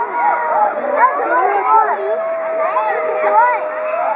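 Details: Two excited siamangs at Chiba Zoological Park, 18 October 2013, throat sacs inflated, calling loudly together as a threat toward intruders into their territory: overlapping swooping, rising and falling whoops over a long steady tone, with many school children shouting nearby.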